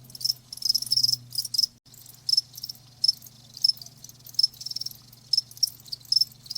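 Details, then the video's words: High, thin cricket chirps sound as separate pulses roughly every half second, with a short break near the start and a continuous low hum in the background. "자연의 소리 ㅣ 귀뚜라미 1시간"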